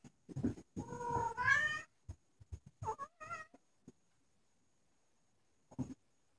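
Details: Ragdoll kittens playing with their mother Lola indoors; a drawn-out rising meow that climbs in pitch, then a shorter bent meow a second later, among soft thumps, scuffles and brief rustling noises of play.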